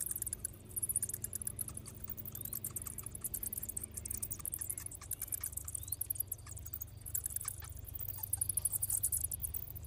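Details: A cave's bats heading out to feed fill the air with a continuous wash of high, scratchy chittering and quick ticks, a few brief sliding squeaks standing out, above a constant deep rumble.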